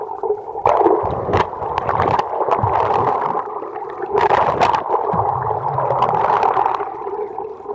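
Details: Playful Commerson's dolphins, in great numbers around a dinghy at Saunders Island, Falkland Islands, recorded underwater: brief broadband clicks and pulses at irregular intervals over a constant gurgling, humming water background.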